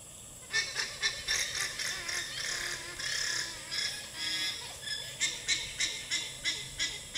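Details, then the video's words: Alarm call of a female alpaca warning her herd: loud, high, nasal pulses repeated several times a second almost throughout, easing briefly in the middle before a fresh burst of quick shrill notes. "Female Alpaca's Alarm Call"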